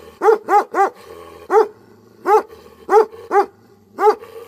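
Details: An angry Tibetan Mastiff (Bhote Kukur) fires three rapid deep barks, then five slower single barks at roughly half-second to one-second intervals. Each bark is booming and harmonic.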